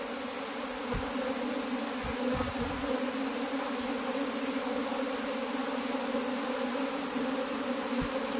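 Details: Honey bees at a beekeeping hive, while the keeper searches for the queen, fill the air with a steady, low, droning hum from many wings at once.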